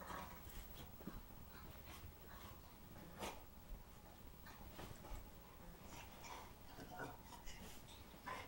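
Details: English Springer Spaniel Aggie attacking her bed, as she does once or twice each night, recorded indoors on 4/19/09 with a Flip camera; soft snorting and rustling scuffle bursts come at irregular intervals over a quiet room.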